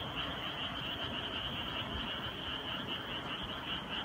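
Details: Frogs calling together on a summer night, heard as an unbroken high, even trilling band with a dense low rumbling texture underneath and no clear pauses.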